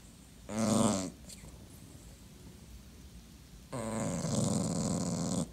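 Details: Clingy dachshund being ignored, giving two harmonic whining grumbles: a short one near the start and a longer, strained moan later, with quiet room noise between.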